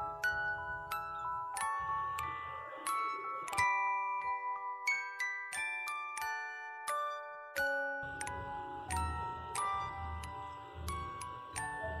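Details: Bright glockenspiel and mallet percussion music plays a tinkling melody of struck notes over a soft low hum, with no animal voice heard.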